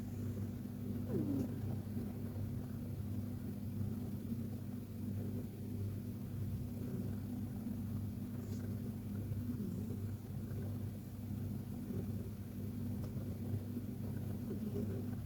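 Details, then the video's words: KTO, a Persian cat, snoring softly while asleep in a deep, cozy nap: a steady low rumbling drone with layered deep tones runs throughout, and a few faint, brief, falling squeaky chirps appear in the background. "Persian Cat Snoring Like a Baby!"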